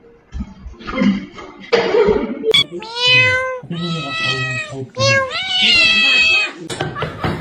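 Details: Domestic cat from a funny cat compilation: a few drawn-out, wavering meows, each rising then sliding down, with human voices talking over and between them.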